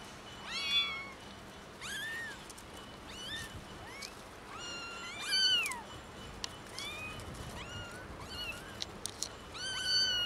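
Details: Three small kittens discovered in a garden and left with only dry food, calling loudly; insistent high, arching meows overlap one another, about one every second, some shrill and wavering, over a faint background hiss.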